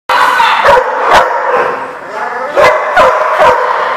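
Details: Dog barking: short, sharp, harsh barks at irregular intervals, about five within four seconds, over a constant loud, noisy background din.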